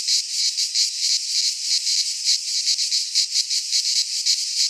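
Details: Greek pine-forest cicadas in midsummer, a loud sizzling drone with clear rhythmic surges, each swell lasting a fraction of a second. Only the insects are heard.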